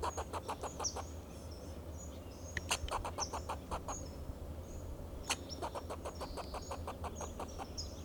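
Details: Alarm calls of a fox squirrel perched on a Monterey pine, Del Monte Forest, California, defending itself and its territory: rapid runs of dry barking chucks, several per second, pausing briefly and resuming, with thin distant chirps and low background rumble.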